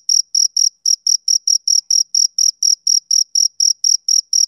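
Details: A male cricket chirps on a summer evening. Sharp, shrill pulses come in a quick, even rhythm of roughly four per second. Nothing else is heard.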